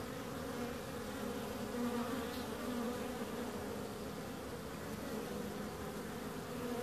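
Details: Steady droning hum of bees, an even, layered buzz with a clear low tone and a higher overtone, brief louder passes as individual insects come closer, over soft background noise.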